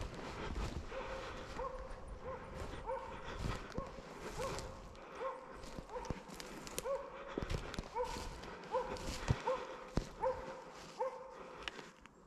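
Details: Arrow, a Slovakian hound, bays at wild boar held in place during a driven dog hunt in Sweden, November 2022; a run of repeated tonal barks about eighty per minute, uneven in spacing, with crunching steps and clicks nearby.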